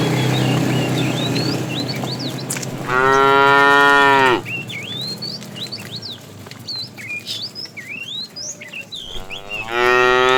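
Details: Tame fat bull calling the female during afternoon herding: a loud, level, harmonic moo lasting about a second and a half, a second starting near the end, and lively chirping birds in the quiet gap between.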